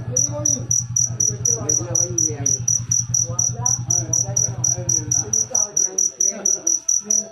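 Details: A cricket gives rapid, regular high-pitched chirps throughout, over a low droning hum and soft murmuring voices in the background.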